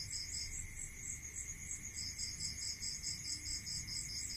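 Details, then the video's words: Countryside crickets at night, a dense stream of quick high-pitched pulsed chirps with a brief gap, layered over a steady high tone and low rumble. "Listening to Cricket Sound Natural meditation music"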